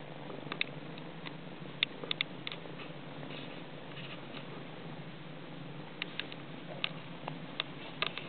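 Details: Sorrel Somali kittens, eight weeks old, suckling at their mother: steady low purring fills the whole stretch, dotted with frequent soft ticks and clicks from feeding.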